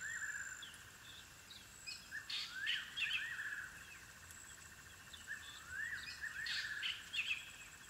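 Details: African wild dog puppies at their den, giving high squeaky chirps and rising whistled glides in short bursts over a steady insect hum in open country.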